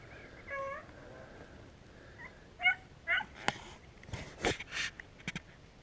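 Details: Beagles on a rabbit hunt in Vera, Virginia, in fine weather after a night of hard rain, bay on the trail after the first jump up a ridge, giving short, ringing, tonal yelps that rise and fall.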